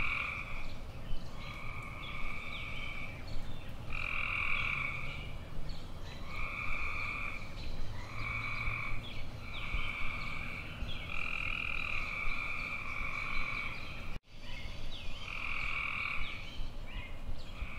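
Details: A long run of tree frog calling: buzzy trills roughly a second long repeat at a steady pace, some louder and some fainter, as if from several frogs. A short silent break falls late on, then the trilling resumes.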